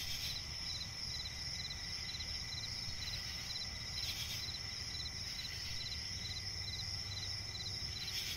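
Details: Nocturnal chorus of crickets in a forest swamp: dense strings of fast high chirps over an unbroken shrill tone, punctuated by short rustling bursts and an ever-present low murmur.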